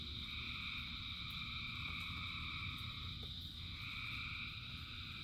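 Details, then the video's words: Frogs calling in rain, a dense chorus described as thousands singing: steady, overlapping high trills that merge into a continuous shimmering drone, with a shift in tone partway through, over a constant low rumble of falling rain. "Frogs in Rain 2 Hours of Frogs, Thousands of Frogs Singing"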